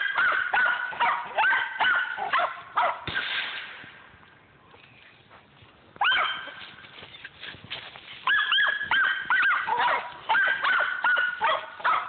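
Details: At Millen, squirrel dog Rock runs hot on a squirrel: dense, overlapping high barks and yelping bawls, a softer lull in the middle, then rising, squalling bays and quick repeated barks picking up again.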